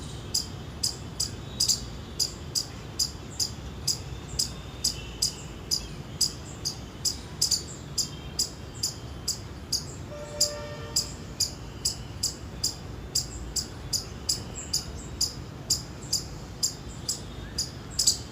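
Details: Indian palm squirrel chirping: sharp, high, clicky chips repeated steadily about twice a second for the whole stretch, with a brief faint tonal call underneath near the middle and a soft background hiss.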